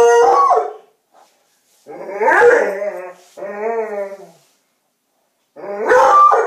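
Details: Pet coonhound, excited after finding a Halloween doll placed in a bed, giving loud drawn-out bays with a wavering howl between them, separated by short silences.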